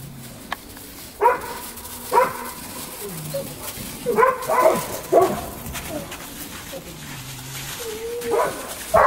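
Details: Belgian Malinois puppies, eight weeks old, at play in snow: scattered sharp yips and barks at intervals of one to two seconds, plus soft low whimpers and a steady background hiss.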